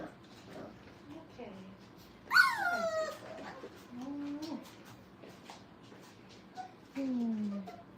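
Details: Five-week-old Brittany puppies playing indoors at a training kennel: a loud high yelp sliding downward with rich harmonics, then shorter whiny squeals, one rising then falling, and a final drawn-out descending whine, with soft rustling between.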